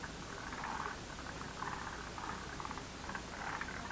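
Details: Frogs chorusing in a lotus pond: rapid rattling pulsed calls in bursts about once a second, overlapping into a steady croaking background.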